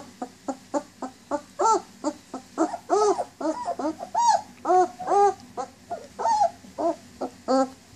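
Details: German Shepherd puppies nineteen days old whine for their mom, giving a steady run of short arched whimpers, roughly three per second, some rising into longer wavering cries.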